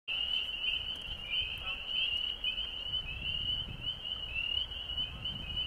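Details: Frogs calling along the Osgoode Link Pathway: a dense, unbroken chorus of high, short rising peeps overlapping one another at a steady pitch, with a faint low rumble underneath.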